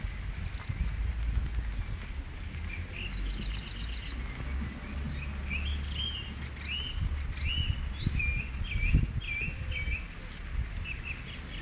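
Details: Several high, hooked whistles rising then dropping repeat in a quick series from guinea pigs kept in a back garden, with low background hum and occasional thuds.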